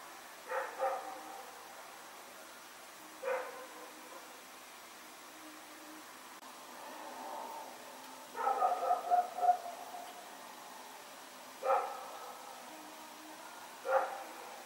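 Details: Dog named Rex running and barking at night, recorded September 21, 2018: scattered single barks every few seconds, with a quick stuttering run of yips in the middle, over a low steady hum.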